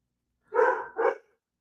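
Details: A pet dog named Axel gives two quick barks at rain during a Friday night of severe storms, the first bark longer and the second a short, clipped follow-up.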